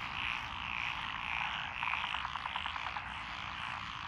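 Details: Frog chorus from lotus rice paddies along a country lane in Echizen, Fukui, Japan, recorded 12 June 2021: dense overlapping croaking with a pulsed trill near the middle and a steady high wash of calls throughout.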